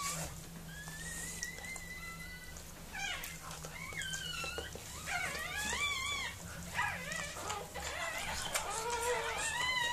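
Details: High, squeaky whimpers as Mirella, a Miniature Pinscher, gives birth to puppies: a long thin whine first, then a rapid tumble of short, wavering, bending squeals with a faint low hum throughout.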